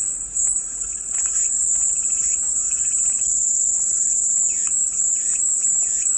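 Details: Steady, shrill buzzing of cicadas filling the whole clip, with scattered soft, short chirps from other animals in the distance.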